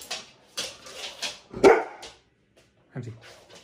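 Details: Husky, a male dog performing tricks at home, gives a few short barks in a small indoor room, with brief rustling between them.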